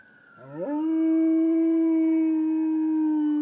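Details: A Rottweiler howls at ambulance sirens, a low tone swooping up and then holding a long, steady note.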